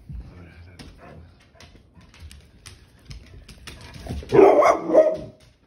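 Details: Male pet pit bull, angry when his tail is grabbed, lets out a short burst of rough, growly barking near the end after quiet indoor rustling and soft human talk.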